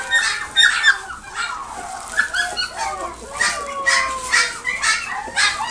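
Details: Maltese x Dachshund mix dog at a pet shop in Nagoya, Japan, giving loud high whines and yelps in quick bursts, some drawn into thin sliding tones, repeated every second or so.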